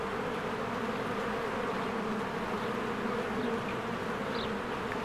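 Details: Swarms of honeybees at their hive on a spring day, producing a constant dense buzz that never pauses; brief faint bird chirps rise near the end.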